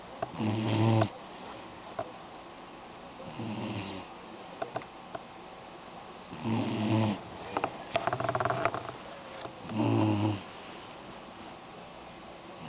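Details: Doberman puppy napping indoors, snoring in low, rasping bursts roughly every three seconds, each a short rumbling breath, with faint rustling between them.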